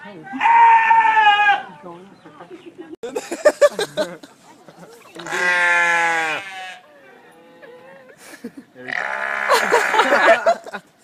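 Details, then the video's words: Noisy goat from a funny farm-animal compilation, giving three long, wavering, nasal bleats of one to two seconds each, spaced several seconds apart, with people talking in between. "goats & sheep making noise"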